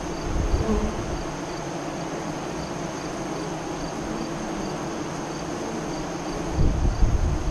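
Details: Continuous low humming of honey bees at a hive entrance near Lyons, Nebraska, during the 2017 eclipse, steady throughout, with a louder close buzz near the end.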